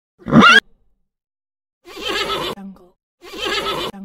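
A horse neighs in loud, quavering bursts, the first rising sharply and two longer whinnies following.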